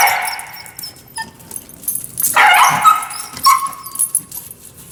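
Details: Dog with kennel anxiety, whining, salivating and biting the kennel bars while being trained with a prong collar. A thin, steady whine opens, then a harsh noisy yelp and a brief clear whine, with clattering and knocking around it.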